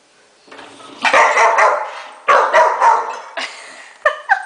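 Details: Pet Rottweiler barking at the top shelf of a dishwasher while it is being unloaded indoors; a run of loud, harsh barks in bursts about every half second to second, ending with short higher yips, with a person speaking.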